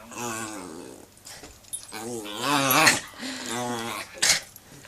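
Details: A one-year-old male rescued Shih Tzu–Yorkshire Terrier cross gives wavering, grumbling growls and whines while play-fighting with his owners, never gripping or hurting them.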